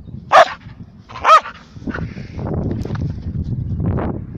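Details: Wheaten terrier giving two sharp, loud barks about a second apart, the second slightly longer, followed by quieter rustling and low background noise with faint scattered sounds.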